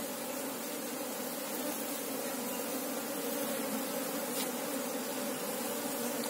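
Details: Asian honey bees (Apis cerana) humming as a colony while a beekeeper searches for the queen; a dense, steady drone with two strong low tones and a faint higher hiss, unbroken for the whole stretch.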